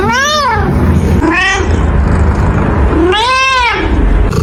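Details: Domestic cat meowing loudly three times, each call an arched rise-and-fall wail, the first and last longer, spaced roughly one to two seconds apart over steady background noise.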